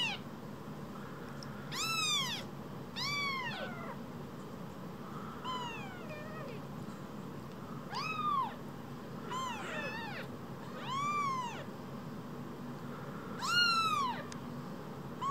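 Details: Rescued baby kittens, two of them, no bigger than a mobile phone, mewing repeatedly: about eight thin, high, arching meows spaced one to two seconds apart, some overlapping, over a constant low hum.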